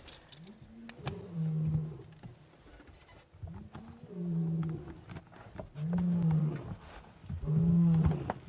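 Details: A male lion on the move at sunset in Sabi Sands gives a series of deep, moaning grunts roughly every two seconds; faint clicks and vehicle noise behind, a fork-tailed drongo alarming nearby.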